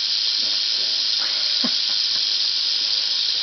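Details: Wild-caught Southern Pacific rattlesnake (Crotalus oreganus helleri), a female angry at being caught near Whitewater, California, after dusk; a continuous, even, high-pitched rattling buzz, with faint talking underneath.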